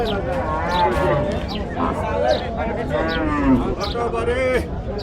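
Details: Cattle offered for sale at a market in the India–Bangladesh border area, lowing in drawn-out wavering moos over a busy background of men talking and crowd noise.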